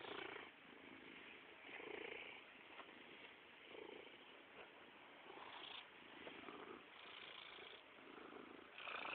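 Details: Rumbling purr from Stoagy, a plump house cat seeking attention, rising and falling in rhythmic surges about every two seconds, close and continuous.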